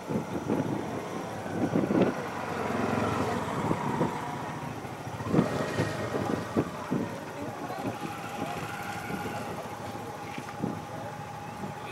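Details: Outdoor scene with a rumbling vehicle engine and intermittent human speech, with scattered knocks and clatter but no clear animal voice.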